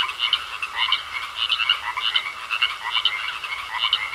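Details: Frogs croaking in a pond, a dense chorus of rapid, rattling pulsed croaks swelling in bursts roughly every half second over a steady background hum.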